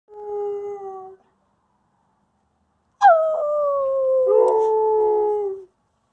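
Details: Female Wolamute dog howling, practising her vocals before chasing away a German Shepherd Husky: a short steady howl, a pause, then a longer howl starting high, dropping and holding level, with harmonic overtones.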